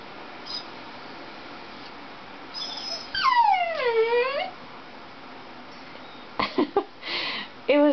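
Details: Dixie, a pet Dachshund indoors watching a Toyota commercial on television, lets out a long whimpering whine that slides downward with rich overtones, then a few short sharp yips near the end, with the commercial's voiceover faintly behind.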